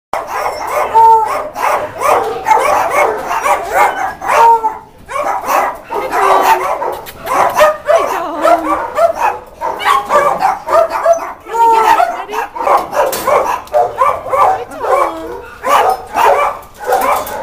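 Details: Tom, a Miniature Poodle living in a shelter, gives quick, sharp yappy barks mixed with higher whining notes. They repeat excitedly throughout, with a person's voice heard at times.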